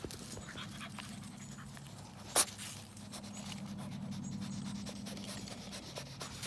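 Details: A bulldog puppy exploring in the woods pants quickly and steadily, with a soft breathy rhythm; one sharp rustle or knock partway through.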